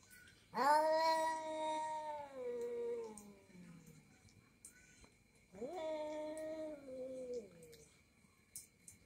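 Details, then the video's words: Domestic cat, an orange cat angrily quarrelling with another cat: two long, drawn-out harmonic yowls, each starting high and sliding slowly downward. A quiet pause separates them, with a faint steady hum underneath. "Suara kucing lagi mengeong"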